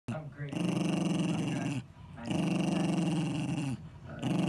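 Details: Eddie, a 10-year-old Jack Russell Terrier, growls to guard his ball. Two long, low rumbling growls of about 1.3 seconds each, separated by a short silent breath, then a third begins. Indoors, no other sounds.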